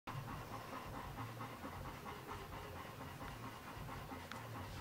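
A Golden Retriever pants in quick, breathy rhythm, roughly one and a half breaths each second.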